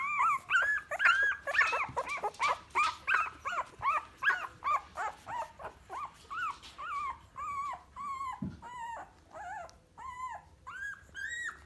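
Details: Ruby's first litter of Staffordshire Bull Terrier puppies keeps up a steady stream of short arched whines, about two and a half per second, loud and crowded at first, then thinning into separate, softer cries.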